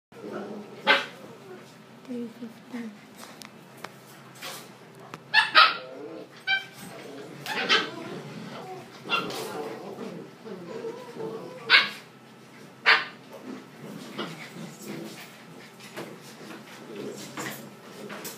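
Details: A Siberian husky at play at 3 AM gives sharp, scattered barks and yips, with quieter grumbling sounds between them.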